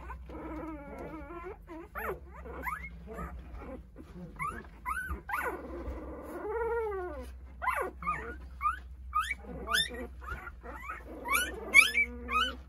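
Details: Eight-day-old Jindo pups, a litter of nine, search for their mother Sarang as she snacks; thin, squeaky whines and short yelps, some sliding sharply upward, scattered over a low electrical hum.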